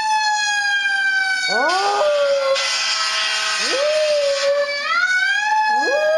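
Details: Squirt, a dog, howling along to a passing siren: three rising howls that slide up from low and level into a drawn-out tone, each over the loud, steady, wailing siren that dominates throughout.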